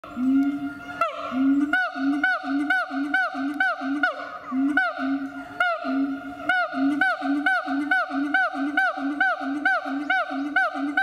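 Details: Captive siamang at Chiba Zoological Park, Japan, calling loudly: a series of short, full-throated barking hoots, each swelling and then dropping, repeated roughly once a second over a steady droning hum.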